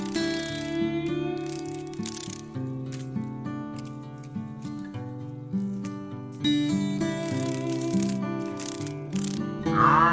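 Only instrumental music plays, with steady tones and percussive rhythm and no animal voices.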